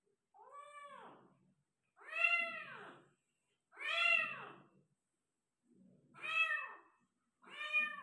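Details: Persian cat giving birth to five kittens, calling indoors: five loud, drawn-out meows, each rising then falling, spaced about two seconds apart with silence between.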